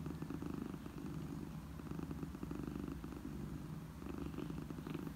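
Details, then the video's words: A domestic mother cat purrs to soothe orphaned kittens: a happy, relaxing sound. A steady low rumbling throb, pulsing continuously with slight swells in loudness and faint higher rustles. "RAHATLATICI MUTLU KEDİ SESİ, ANNE KEDİ MIRLAMASI"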